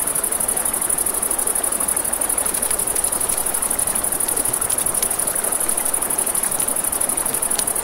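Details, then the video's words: Riverside crickets at night trill in a rapid, unbroken high-pitched pulse, backed by steady flowing water and scattered crisp snaps from a crackling fire. "Campfire by the River at Night Ambience | 1 Hour of Crackling Fire, Crickets, Ambient Nature Sounds"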